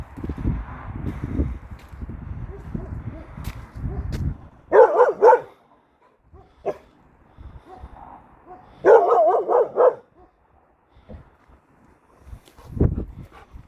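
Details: Kangal Nazo barking at an unfamiliar female dog that wandered into the neighbourhood: rumbling background noise and faint voices at first, then two loud bursts of several rapid, harsh barks, followed by a lone thud.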